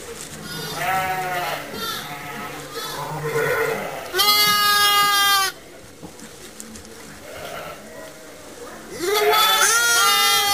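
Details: Orphaned lambs housed in a pet lamb pen for close care and regular feeding; a long, strong, quavering bleat is followed later by another rising one, with softer overlapping calls and murmurs throughout.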